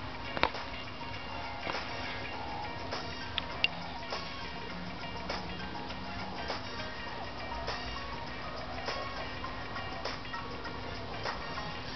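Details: Steady background music fills the recording, broken by occasional soft clicks and knocks. No animal calls can be picked out.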